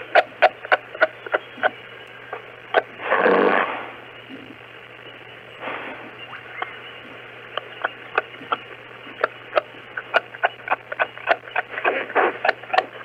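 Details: Kangaroos in Australia: a rapid series of sharp, dry clicks or clucks, irregularly spaced and coming in bursts, with a short raspy breathy snort near three seconds and a steady low hum beneath.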